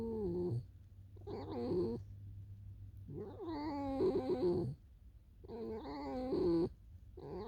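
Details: Pet fox Alisa among falling snow, heading for a field: a run of wavering, whimpering whines in bursts about every one to two seconds, pitch bending up and down within each call, a faint low hum beneath.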